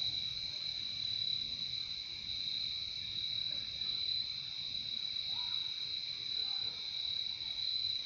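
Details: Chorus of crickets in a nature recording, a constant high trilling wall of sound with slight swells; a few faint mid-pitched notes appear briefly in the background toward the end.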